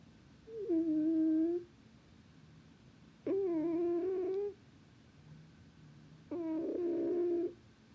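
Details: Cat snoring in its sleep, three drawn-out nasal tones of about a second each, evenly pitched with a rough edge, separated by quiet pauses of around two seconds.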